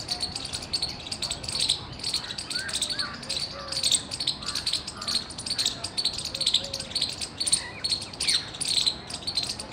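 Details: Squirrel chirping loudly, recorded 17 February 2021: sharp, high, clicky chirps in a fast steady series of about three to four per second, with faint softer bird notes lower in the background.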